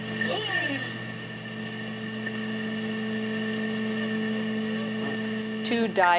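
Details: Bottlenose dolphins, described as pairs of males competing, give coordinated, synchronized, sweeping harmonic screeches over a steady low electrical hum.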